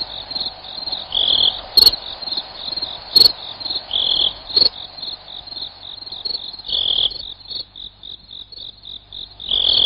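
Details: Cricket chirps: rapid high-pitched pulse trains with irregular louder bursts and two sharp clicks early on, calls carrying on without pause.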